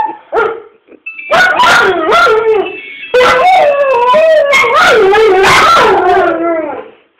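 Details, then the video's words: Dogs set off by an irritating ringtone, the little dog trying to out-do the bigger one: short yips, then loud wavering howls rising and falling, with a steady ringtone tone in the background. "Annoying ringtone sends dogs wild"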